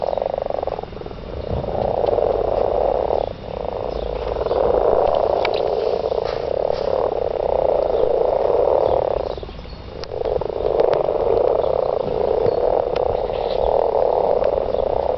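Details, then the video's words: Mating garden frogs chorusing, waves of massed croaking that stop abruptly twice into brief near-silences before bursting back, with scattered clicks over the top. "garden frogs"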